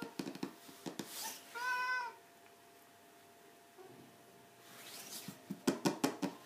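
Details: ['Aged 17, a domestic cat utters one firm, harmonic meow lasting under a second, bracketed by sharp tapping and knocking sounds in a small room.']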